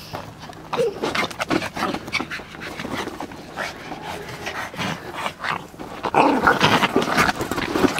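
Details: Overexcited Yorkshire Terrier at ball play pants and huffs in fast rough breaths, quieter at first, then louder and busier toward the end as a voice cheers it on.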